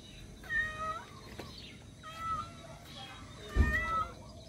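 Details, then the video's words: A cat calling for its missing kitten: three drawn-out, steady tonal meows about a second apart, each a level, slightly wavering note, over a constant low rumbling background. "Cat meowing for missing baby"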